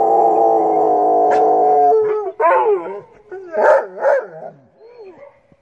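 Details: Australian Shepherd dogs responding to coyotes: a steady held howl fades into broken yelping yips and short rising-falling whines, ending in a quiet whimper.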